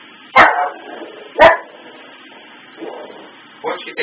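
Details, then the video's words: Domestic dog reacting to Christmas tree lights blinking on and off in a loop: sharp single barks at irregular gaps of about one to two seconds, each trailing into a brief moaning howl-like tone, with a softer bark between. "barking and howling at the Christmas tree"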